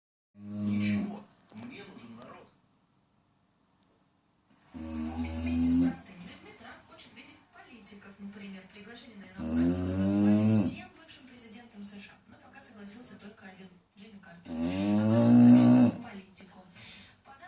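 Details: Chow Chow. A Chow Chow snores in its sleep, each breath a low, rattling rasp that swells and fades. The snores repeat roughly every four to five seconds, with soft breathing between them in a quiet room.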